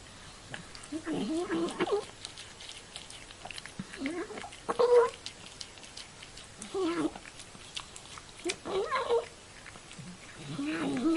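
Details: An elderly cat feeding, giving gravelly, wavering mews and growly hums between bursts of crisp chewing and lip-smacking clicks, with a brief higher squeak near the middle and the sounds swelling in loose groups.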